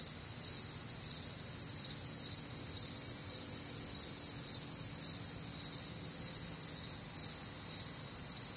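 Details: Crickets and other nocturnal insects on a warm, humid Midwestern summer night, producing a constant high, rhythmic chirping of almost two pulses per second, with a faint low tone underneath.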